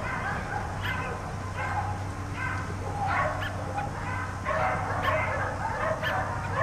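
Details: Four dogs left in a yard all day bark in uneven bursts roughly once or twice a second, the overlapping yaps growing denser toward the end, against a low background hum.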